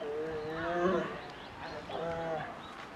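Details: Young female polar bear in a Japanese zoo, Maruyama in Hokkaido, asking her mother for milk in December 2011; two wavering, buzzy moans, the first longer and rising, over soft background voices.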